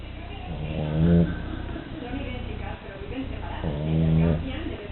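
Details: Duna, a sleeping French Bulldog, snoring: low rattling, buzzing snores in slow breaths, two louder drawn-out rasps about three seconds apart with softer breathing between.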